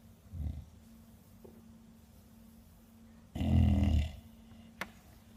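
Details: Kuu-chan, a 13-year-old female Bulldog, asleep and snoring: one short, loud, rasping snore lasting under a second, preceded by a softer breath, with a low continuous hum throughout.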